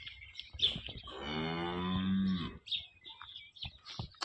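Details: Holstein Friesian cow that calved overnight, her second calving, at Somthane village, Sinnar, Nashik district; one long, low, harmonic-rich moo lasting over a second, followed by a man talking nearby.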